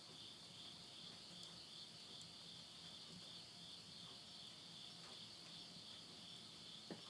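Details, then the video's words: Late-summer insects calling at midnight, Yurihama town, Tottori, Japan, September 2020: a dense, unbroken high ringing chorus fills the whole stretch, with soft crackling of burning wood and a faint low hum underneath. "mid night the voice of insects"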